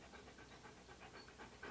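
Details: Key, a Siberian Husky posing in hats and clothing for a photoshoot, pants in quick, steady, breathy puffs, about four or five per second, with no other sound over it.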